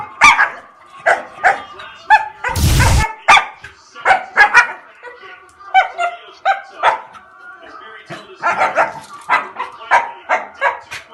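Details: Angry dog barks repeatedly in short, sharp bursts, roughly twenty barks over eleven seconds in uneven clusters, with a brief loud noisy rustle near the start.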